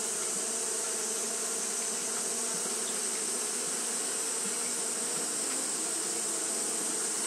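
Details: Continuous fanning hum from Japanese honey bees on a hot day: a smooth, unvarying drone layered with an airy, high hiss, constant in loudness from start to finish.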